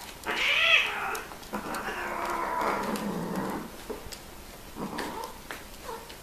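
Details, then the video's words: Domestic cats mating and making strange sounds: a loud, high, wavering yowl rising and falling, then a long, lower, drawn-out moaning yowl, followed by softer short whines. "Kucing Kawin Bersuara Aneh"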